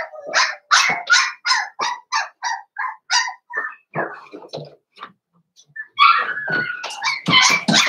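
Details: Blenheim Cavalier King Charles Spaniel puppies from a five-pup New Year's litter in a home pen: a fast run of high yips and barks, a short lull with softer sounds, then a renewed burst of yelping.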